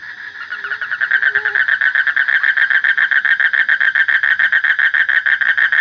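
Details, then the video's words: A frog's pulsed call builds in loudness over the first second, then settles into an even train of throbbing nasal pulses, roughly three to four a second, holding steady to the end; a faint low hum sits beneath. "Suara Kodok / Frog Sound"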